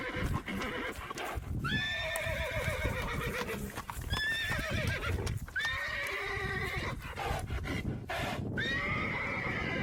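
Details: A herd of horses galloping, with rumbling hoofbeats throughout while repeated neighs ring out above, each a high whinny that drops and trembles, roughly every two seconds.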